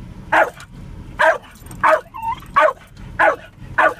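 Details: Jack Russell Terrier named Spike barking at cows while riding in the car; six sharp, evenly spaced barks, roughly one every two-thirds of a second, with a faint whine between them and a steady low hum of the vehicle.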